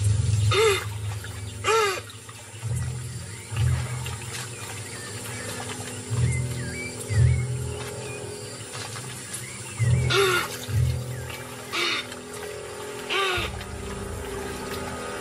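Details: Capybaras give short, gruff barking alarm calls, spaced irregularly over low, pulsing background music, as a jaguar creeps closer downwind to stalk them; it later kills a young one.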